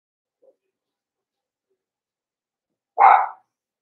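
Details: Young blenheim Cavalier King Charles Spaniel puppy from a litter of five kept in a home puppy pen, giving one short, loud, rough bark after a long quiet stretch.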